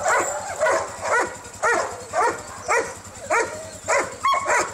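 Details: Kennel Huskies, recorded 25 November 2012 during a bus excursion: rising yelping barks about every half second, several in quick pairs, ending in a sharp bark.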